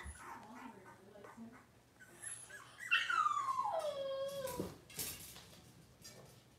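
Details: A six-week-old Cavalier King Charles Spaniel puppy complains during deworming and toenail trimming in a puppy pen. One loud whine glides steadily down in pitch over about two seconds, over a noisy indoor background with soft squeaks.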